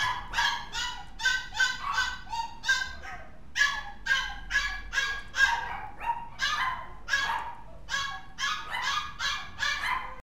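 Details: High-pitched yapping barks from a mixed-breed dog likened to Gizmo from Gremlins, delivered in rapid pairs and triplets almost continuously, with a short whine near the middle.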